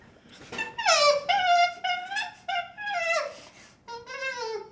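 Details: Infant chimpanzee whimpering with long drawn, wavering wails that rise and fall, several in a row, over faint background hiss.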